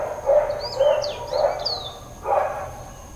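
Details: Dog in Hawaiian Paradise Park, Hawaii, barking on September 2, 2024, Labor Day, part of prolonged intermittent barking. Four separate barks, three quick and one after a pause, while birds whistle sliding notes in the background.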